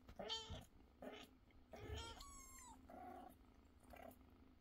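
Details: Mother cat with her kittens at feeding time, meant to feed them first and then play; several short meows and one longer falling wail, with a low steady rumble underneath.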